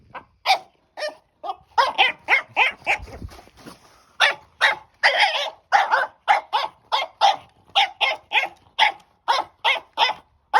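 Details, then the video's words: An excited French Bulldog puppy playing with her new stick barks in a long run of short, high, yappy barks, about two per second, with a brief pause partway through. "Frenchie vs. Stick! Sound On!!"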